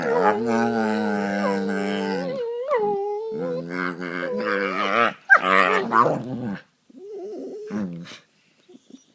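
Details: Two pet dogs play fighting and gnawing at each other on a couch indoors; long strained, harmonic growling whines with wavering pitch, then broken growls and short yelps that fade out near the end.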